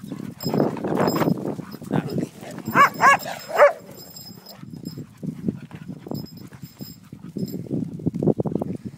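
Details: Kronos, a Cocker Spaniel, jealous and not letting other dogs be petted by the owner, gives three short high whining yelps in quick succession midway, with people talking and quiet shuffling before and after.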